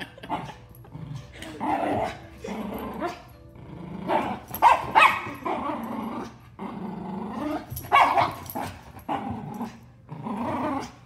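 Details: Miniature schnauzer and giant schnauzer fighting, heard as rough rumbling growls broken by snarling bursts and a few sharp barks, irregular and overlapping through the scuffle.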